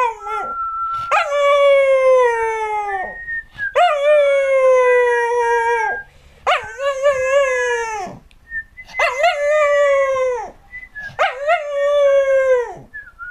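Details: Džo, an American Cocker Spaniel known as a singing dog, recorded in 2008, howls five times in a row: long tuneful wails about two seconds each that slide downward, with short gaps and small yips between.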